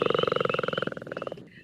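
A Northern Leopard Frog gives a low, nasal snore made of rapid pulses, like a growl.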